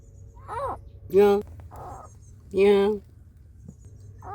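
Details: Cat sounds: a mother cat angrily warning an unwelcome intruder to protect her kittens, with kittens crying for their mother. Two loud, harmonic-rich wailing calls about a second and a half apart, with fainter, higher arched mews between them.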